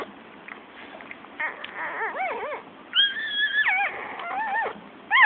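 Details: Newborn Shih Tzu puppies, born only minutes earlier, give thin, wavering squeals and whimpers indoors, with rising-and-falling cries that come in short bursts and one longer, high, quavering wail.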